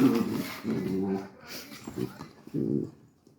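A Labrador puppy gives a few short, high, harmonic barks, some drawn out into whiny yelps.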